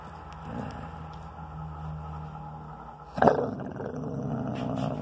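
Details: Twelve-month-old spayed female Basset Hound growling while protecting her bone as she is teased; low rumbling growl through the first three seconds, then a sharper louder burst with a snarl and continued growling.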